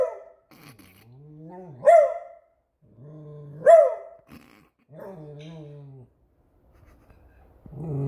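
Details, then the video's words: Beagle at home reacting to a squeaky toy, mixing low, wavering growl-whines with two sudden sharp barks rising out of them, followed by more drawn-out moaning whines; the dog stays on alert while the toy is out. "Which Toys Cause a Beagle To Bark?"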